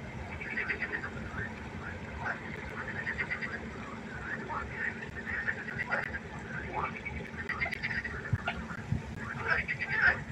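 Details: Frogs croaking together at night by a pond, a dense chorus of short harmonic croaks overlapping steadily, with a faint low hum beneath.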